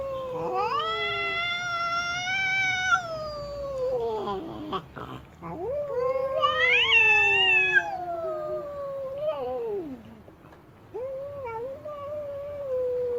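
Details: Female cat, displeased and stamping her feet, wailing loudly in several long rising-and-falling yowls, the middle one strained and climbing highest, followed by shorter lower moans near the end.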